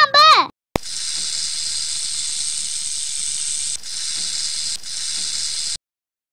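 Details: Snake giving a steady, harsh hiss lasting about five seconds, with two brief dips in loudness, after a short spoken word.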